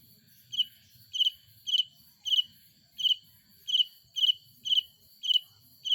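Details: Insect cricket chirping by wing stridulation at night in a rural village; sharp high-pitched pulsed bursts repeated about every half second to second, with faint low rumble beneath.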